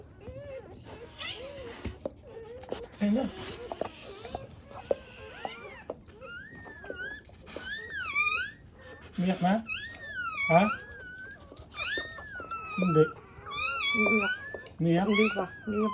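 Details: Newborn black Labrador Retriever puppies, born in a first litter and needing emergency revival, give high squealing cries that rise and fall in arched, repeated bursts, several overlapping at times, with people talking nearby indoors.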